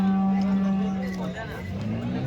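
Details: A cow at the Chalisgaon cow market, Saturday 23 March, gives a steady, deep, droning moo for just over a second, then tails off as market voices and background rumble continue.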